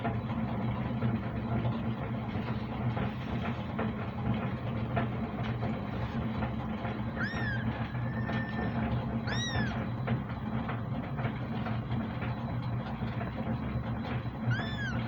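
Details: Kitten giving three thin, rising-then-falling meows, each under a second, spaced several seconds apart, over a loud steady low rumble and background murmur.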